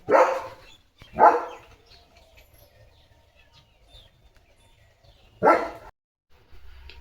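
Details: Morning barking from Leo, a German Shepherd on a farm, aimed at cattle going by. Two deep barks come close together, then a pause of about four seconds, then a third bark in a quiet setting.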